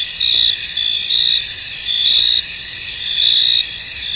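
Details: Crickets in a misty, foggy field: a dense high-pitched chorus with steady ringing trills, overlaid by brighter pulsed chirp bursts of about a third to half a second, recurring roughly once per second.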